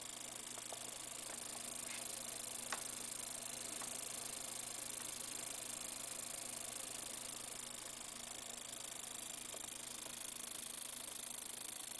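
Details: Only a faint, steady hiss with a few scattered soft ticks, and no clear animal call.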